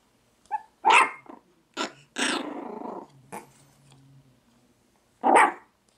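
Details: A Chihuahua indoors gives a clipped yap, a long rough growl, then more short snappy barks with a final loud yelp, set in a small room.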